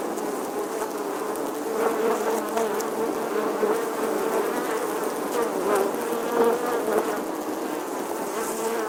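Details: Continuous buzzing of a bee in summer, a dense steady hum with small rises and dips in pitch and volume, suggesting wings beating close by, no other sounds clear.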